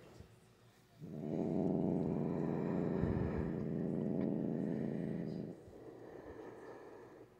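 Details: Grumpy pet cat, normally calm, growling at length during a nail-clipping session at night; a sustained low rumbling growl of about four and a half seconds, quieter room sound before and after.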